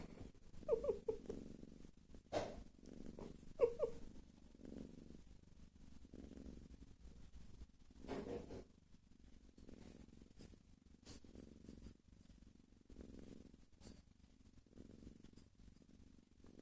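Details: Sleeping cat snoring softly, a low, breathy rumble rising and falling about every three seconds, with a few brief higher squeaky breaths early on and faint clicks in a quiet room.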